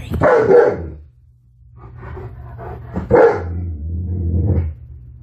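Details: Alaskan Malamute named Tonka indoors, reacting to a mannequin head he had never seen before; two loud, rough barks about three seconds apart, with low growly rumbles and quieter sounds between them.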